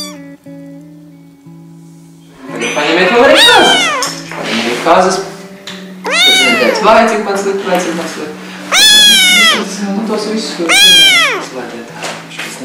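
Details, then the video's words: Kittens meowing, described as hungry, scared, lonely or angry: a string of loud, high, arching meows that rise and fall, growing longer and more drawn-out toward the end, over steady low humming tones in the background. "Adorable kittens meowing"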